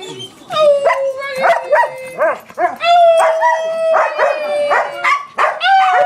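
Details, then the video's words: Several pet dogs 'singing' together: a long, steady held howl runs under bursts of short rising and falling yelps and yips, the voices overlapping in a ragged chorus with brief pauses between phrases. "Singing dogs!"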